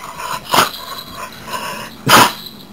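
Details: Dakota, a male Chesapeake Bay Retriever, smiles and sneezes on first seeing his owners in the morning or on their return home; two loud, noisy snorting sneezes about one and a half seconds apart, softer snuffles between.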